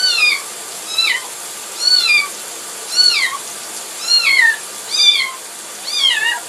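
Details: A kitten cries in high, thin meows that slide downward, repeated roughly once a second, upset while being taken for a bath.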